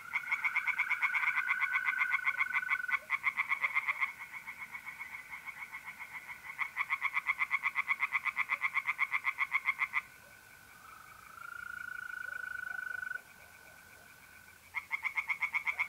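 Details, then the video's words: Tree frogs sing in bursts of quick rattling pulses from a pond at night in April, north-east Italy, pausing twice; during a longer four-second gap only the continuous, steady trill of mole crickets remains before the frogs resume. "relaxing singing tree frogs in pond and trilling mole crickets by night"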